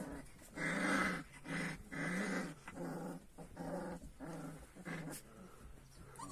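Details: Purebred Kangal puppies, growing up, indoors: a run of harmonic growling whines in half-second bursts, about one per second, separated by short quiet gaps, with faint room noise behind.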